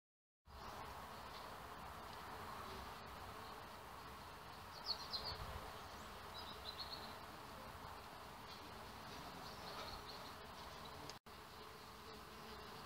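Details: Male red mason bees flying around a little bee hotel, searching for females: a steady, low droning buzz that holds throughout, with a few faint bird chirps breaking in near the middle.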